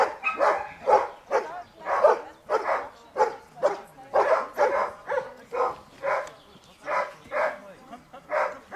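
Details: During Schutzdienst protection training, the Giant Schnauzer Dea barks insistently. Rapid harsh barks sometimes arrive in doubled pairs and keep an almost continuous rhythm over nearly nine seconds.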